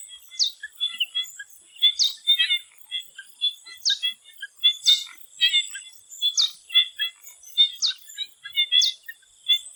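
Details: Before sunset in a swamp in Thailand, many frogs give quick ticking chirps in irregular clusters. A sharp rising whistle-like sweep recurs roughly every one and a half seconds over a constant high insect hum.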